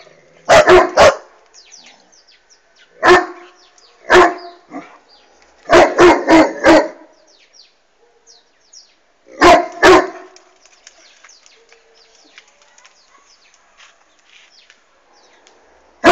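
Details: Barking Irish Wolfhound, Bastian, directed at a flying hot air balloon: deep barks in irregular bursts, some doubled or in quick runs of three or four, pauses between groups, faint birdsong behind.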